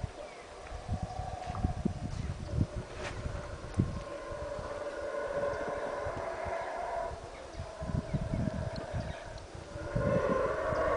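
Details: Loud howler monkeys at Caracol in Belize, a layered, rolling roar rising and falling in waves over rumbling low background noise and scattered knocks.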